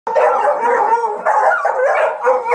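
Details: Hunting dogs being trained to hunt paca, giving a continuous wavering howl with baying notes, breaking twice and resuming, loud and close.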